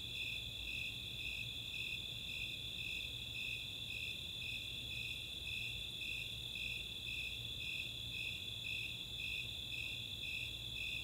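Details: Nighttime summer cricket chorus from Chautauqua, Boulder, Colorado, mixing Snowy Tree Crickets and Four-spotted Tree Crickets: a constant high trill layered with regular, slightly softer pulsing chirps, low rumble beneath.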